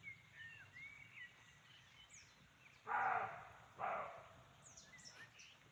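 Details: Forest near Chaumien, France, where a roe deer gives two loud, rasping barks less than a second apart, each brief and gruff. Light bird twitters come before and after.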